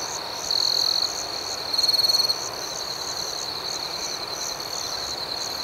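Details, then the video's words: Night crickets chirping: an unbroken high-pitched trill beneath quick regular pulses, with two short louder buzzing bursts early on, set in calm outdoor nighttime ambience. "Soothing Cricket Sounds"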